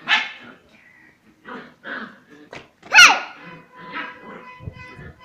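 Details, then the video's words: Female Kombai puppy in aggressive play, giving short bright yelping barks in separate bursts, with a man calling to her in Tamil in between. "Aggressive & Playful Kombai puppies"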